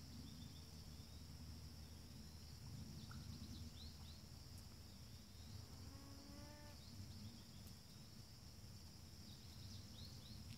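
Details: North American beaver calling out for its missing companion at Wachusett Reservoir, Massachusetts, USA, on August 20, 2018; a faint, whiny, harmonic call near the middle of the clip, set against a steady low hum and a high insect drone.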